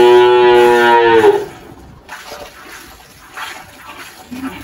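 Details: A single harmonic moo of about one and a half seconds from the 18-year-old Girolando cow Malhada on a farm in Anápolis, Goiás, Brazil, followed by quiet farm background noise.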